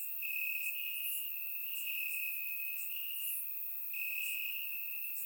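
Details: Crickets in grass on a warm summer night, Bulgaria: an unbroken high-pitched trill with gentle swells, and scattered brief higher chirps from more distant insects, recorded through a surround microphone.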